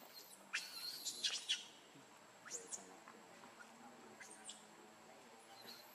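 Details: Baby monkey named Lucie, described as pitiful, giving a burst of high, thin, arched squealing cries early on, then single shrill cries near the middle and toward the end, over quiet background hiss.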